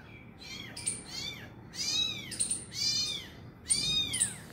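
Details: Meows from a cat scene of an injured mother finally feeding her abandoned kitten. Four high, arched meows with stacked harmonics, each about half a second long and spaced roughly a second apart, over a faint steady background hiss.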